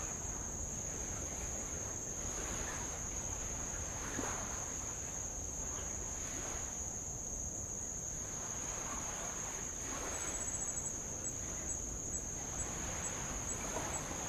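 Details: Insects on Avalau island in the Kingdom of Tonga, heard from a rowing boat along old lava shores: a steady, unbroken high-pitched shrill drone runs throughout, over the soft wash and swell of light waves breaking on the lava.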